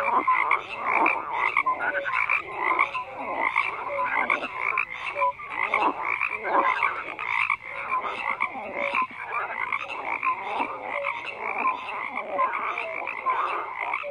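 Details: Dense frog chorus of many overlapping croaks, rapid pulsed calls stacked between low and high pitch with short tonal notes scattered throughout, continuous without pause.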